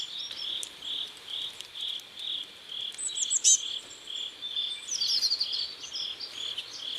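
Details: Riverside crickets at sunset in South Korea give evenly spaced pulsed chirps, roughly three every two seconds, joined by scattered high twittering notes from other callers.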